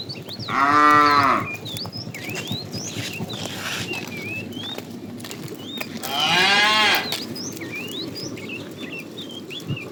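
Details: Tame cows roaming a road looking for food: two loud, harmonic moos about five seconds apart, the first short and falling at the end, the second rougher, with birds chirping and whistling steadily in the background.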